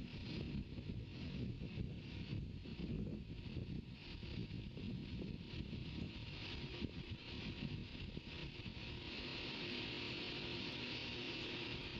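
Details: Only wind buffeting the microphone and a low rumble of broadband noise are heard, with a steady hiss in the last few seconds and no animal calls.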